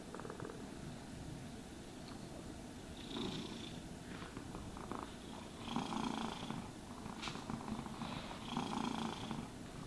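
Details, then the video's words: Purring cat being groomed: a soft low purr with scratchy, rustling brush sounds and a few higher hissing swipes over the later seconds. "Cats Purring Sounds for Sleep and Stress Relief | Cat Brushing, Cat Grooming"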